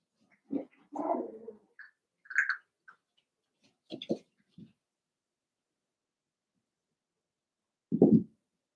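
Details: Eight playing Cavalier King Charles Spaniel puppies, two litters from Daisy and Robin put together: brief low whines and squeaky yips scattered over the first five seconds, a pause, then one loud low bark-like yelp.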